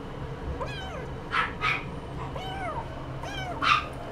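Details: Somali cat giving a few drawn-out meows, each a clear tonal cry that climbs then slides down, spaced about a second apart, with brief breathy bursts between them over a low room hum.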